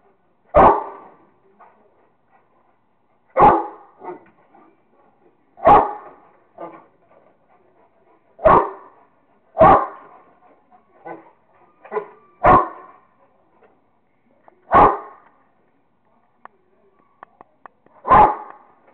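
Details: Playing with a squirrel, the Rottweiler Kingston barks loudly and steadily, about eight single sharp barks every two to three seconds, with soft clicks and rustles in the pauses.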